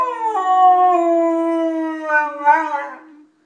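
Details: A single sustained howl from Jimmy, a pet golden retriever said to howl like a speaking human: clear, steady and slightly falling tone with rich harmonics, a brief wobble near the end before fading.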